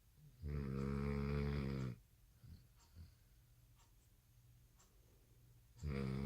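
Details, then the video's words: American Bully puppy snoring heavily indoors at night, tired after skipping a nap after dinner; a long droning, rattling snore of about one and a half seconds, a quiet pause, then the next snore starting. "Puppy snores so loud | American Bully"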